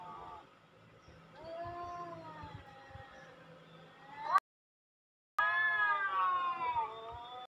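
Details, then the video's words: Cat meows played in an attempt to attract cats: a string of long, drawn-out, wavering mid-pitched meows that bend up and down, then a brief silence, then more strained, rising and falling yowls. "เปิดเสียงนี้ แมวจะมาจริงไหม"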